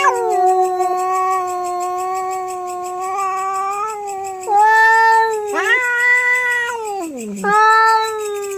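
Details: Late-night territorial fight between domestic cats: a drawn-out, loud yowling wail held steady, then breaking into rising and falling howls with a steep downward slide around seven seconds before swelling once more.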